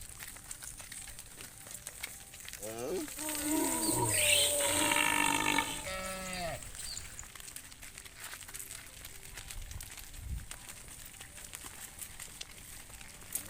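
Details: Tame cattle herd led back to the farm pen at sunset: one long, harmonically rich moo lasting about three seconds, bending downward at its start and swelling in the middle, over steady background hiss.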